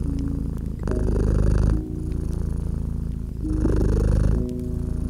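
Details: Warm, rumbling purr from a cat lying by a crackling fireplace in winter. Two long swells of low vibration, each about a second, separated by quieter stretches, with occasional sharp crackles and soft sustained music tones.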